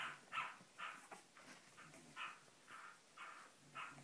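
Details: A Cavalier King Charles Spaniel puppy from the Sarlat and Chloé litter born 7 April 2014 in Spain gives short high yelps about twice a second, fairly evenly spaced, while it tries to get out.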